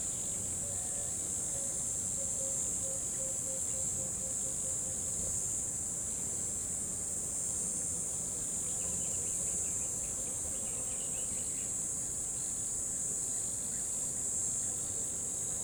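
Crickets trill in a steady, high-pitched shimmer that never pauses, over a soft low rumble of running water.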